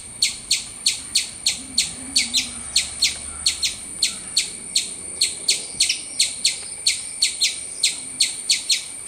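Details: Squirrel chirps, sharp and loud, coming in a fast, fairly even series of about two to three per second, against a near-silent background.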